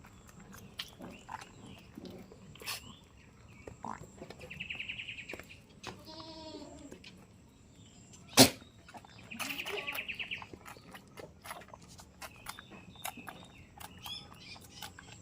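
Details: Goat on a village goat farm gives one wavering, harmonic bleat midway, framed by scattered clicks, knocks and two brief buzzy, high-pitched bursts.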